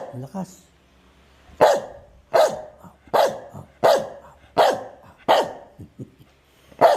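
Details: Medium-sized dog barking on command, brief human speech first, then six forceful barks roughly every three-quarters of a second, each short and bright.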